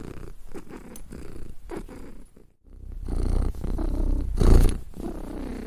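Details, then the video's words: Cat purring in a deep vibrating drone that pauses briefly in the middle, then resumes more loudly with a rhythmic in-and-out throb. "Cat Purr Sound"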